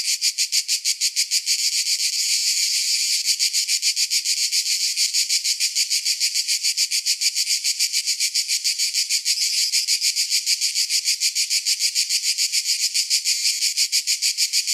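A cicada gives a shrill, high, pulsing chirp that beats rapidly and steadily without pause.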